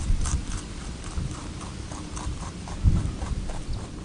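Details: Close crunching of a rabbit eating on Okunoshima, Rabbit Island, Seto Inland Sea, Takehara City, Hiroshima, Japan; steady series of short dry clicks and crunches, a few per second, with low muffled handling thumps and background rumble.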